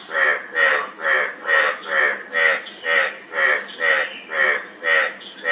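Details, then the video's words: Steady series of about eleven rasping, nasal croaks from a frog, evenly paced at roughly two per second, each note rich and buzzy, with a soft high-pitched background hiss throughout. "Frog Sound--Frog Sound Effect"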